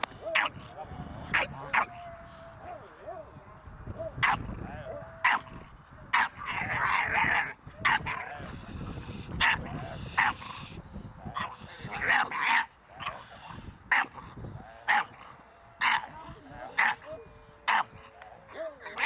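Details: Ares, a Staffordshire Bull Terrier puppy in protection training, barks in short bursts spaced about a second apart across the stretch, with a handler talking and a steady tonal hum in the background.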